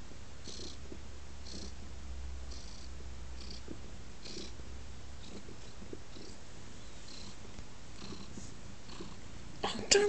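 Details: Lap-snuggling male pet cat giving a low, even purr with rhythmic soft bursts, light shuffling, and a sudden louder clatter at the very end.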